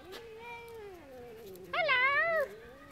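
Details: Domestic cats threatening a friendly Westie, recorded 18 June 2013: a long, wavering, tonal yowl that swells louder and rougher near the end before fading, with faint speech in the background.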